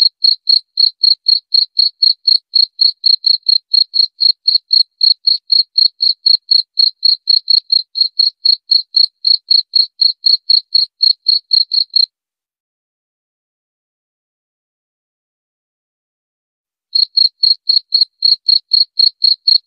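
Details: A cricket, used as a rat deterrent, chirps without a break for about twelve seconds in quick, regular high pulses around four per second. It falls silent for roughly five seconds, then starts chirping again.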